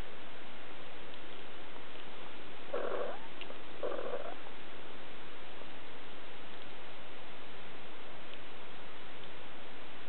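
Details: Siberian kittens three weeks old, recorded July 2008: two short harmonic mews about a second apart, both near the middle of the clip, then quiet. A steady background hiss runs throughout.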